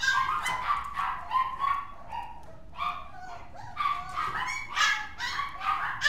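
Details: Mixed-breed dog giving high, whining yips with tonal, wavering pitch, in short bursts separated by brief pauses over six seconds; a quiet indoor background with no other clear sounds.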